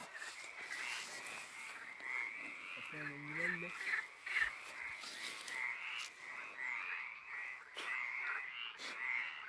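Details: A toad sings at night near a cemetery on the calm east side of the town of Agadez, giving steady, pulsed trills at a bright mid pitch, the notes repeating without pause.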